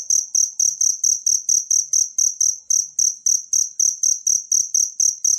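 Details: Wild cricket chirping, meant for tutoring a pet songbird: bright, piercing trill pulses repeated rapidly and evenly, each burst sharp and high, a soft low thud accompanying every pulse.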